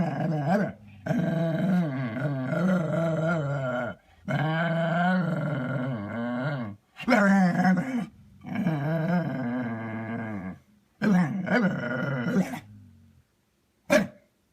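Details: Dog trying to get another dog to play, making long, low, warbling growl-moans in drawn-out bouts of two to three seconds, rising and falling in pitch, with short breaks between.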